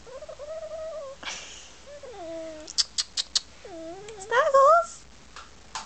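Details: House cat making funny chattering noises toward the camera: drawn-out wavering mews, a dipping chirp, quick clicking taps, then a louder rising trill near the end.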